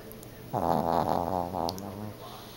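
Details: Sleeping Yorkshire Terrier snoring: one drawn-out raspy, buzzing breath lasting about a second and a half, with a faint high hiss in the background.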